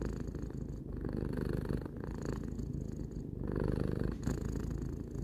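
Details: Short stretch of deep rhythmic purring from the three-year-old cat Tarou, breath-driven swells about once a second, louder toward the end, nothing else audible.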